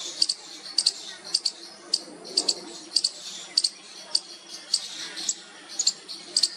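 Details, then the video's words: Young squirrel calling out to its mother, giving sharp high-pitched squeaks, sometimes single and sometimes in quick pairs, at roughly one to two per second, with faint background hiss. "Cute Baby Squirrel trying its first call to its mother"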